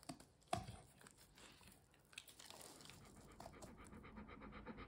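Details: Golden Retriever eating corn for the first time, drooling while watching for more; quiet, rapid rhythmic panting with soft crunching and chewing noises, plus a sharp click near the start, recorded close by.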